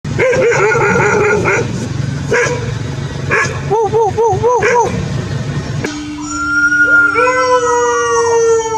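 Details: Domestic dogs from a compilation of howling and barking, with barks and short wavering howls in the first half, then a long steady howl with a second voice sliding upward, plus background noise.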